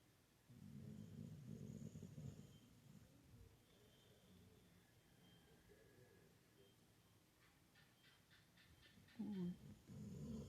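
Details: Pit bull asleep and dreaming: low, rough snoring breaths, loudest in the first few seconds and again near the end, with a short squeaky whine just before the final breath.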